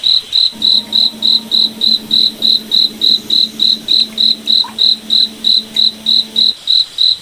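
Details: High, metallic cricket chirps repeat evenly about three and a half times per second on a moonlit forest night, accompanied by a faint sustained low hum for most of the stretch.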